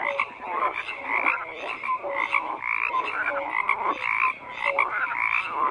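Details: Croaking frogs in a busy chorus, rhythmic bursts about every half second mixed with short bright piping calls, many animals heard together and nothing else.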